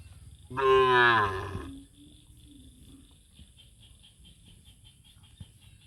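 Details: Cows coming together: one loud moo of about a second with a slightly rising tone, trailing into a low fading hum, then quiet with soft background noise.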